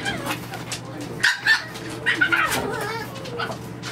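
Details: French Bulldog puppies playing in an indoor puppy nursery, giving short high squeaky yips in two brief bursts midway, over a steady low hum and some soft human voice.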